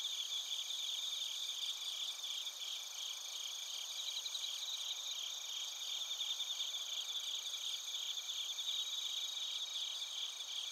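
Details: Bell crickets and other crickets recorded in Narita, Chiba, Japan, on a TASCAM Portacapture X8: a dense, steady high-pitched insect chorus of layered shrill bands with faint rapid pulsing throughout, no other sounds.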